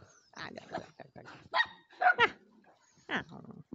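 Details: Stray dogs giving short, rough barks and high whining yelps in quick irregular bursts, with a man talking to them in Romanian between the calls.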